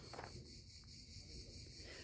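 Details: Crickets near the edge of Nice, southern France, at the end of a family Alps crossing, keep up a continuous high-pitched buzzing trill that pulses rapidly and evenly over a low rumble of wind or traffic, with a brief voice near the start.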